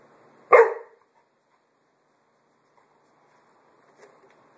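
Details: Single short, punchy bark from Roxy the puppy while she pesters a small watermelon, then near silence with a soft yip-like trace around four seconds.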